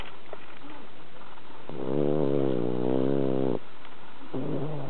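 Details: Bronson, a pet cat, sound asleep after walking during cherry-blossom viewing, lets out a long, steady, gravelly snore of nearly two seconds, then starts another low rumble; background is quiet.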